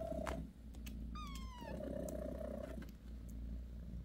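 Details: Bassy the mother cat purrs while massaging her kittens; a low, throbbing purr is briefly interrupted by a thin, falling kitten-like mew, then the purring resumes.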